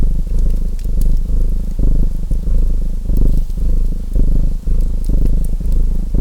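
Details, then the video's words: Domestic cat purring, a deep rumbling vibration that swells and fades in breathing phases about every half to full second, set against the sharp pops and crackles of a fireplace. "Purring Cat Sounds"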